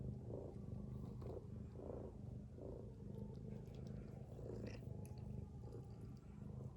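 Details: Domestic cat mother asleep among her kittens, giving a rhythmic low snore, short breathy pulses coming every second or less, steady and even, with faint higher rustles late on.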